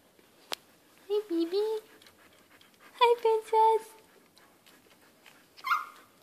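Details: One-week-old Siberian Husky puppies sleeping; two clusters of soft, wavering whimpers and squeaks, each lasting about a second, with a woman speaking quietly and a brief higher squeal near the end.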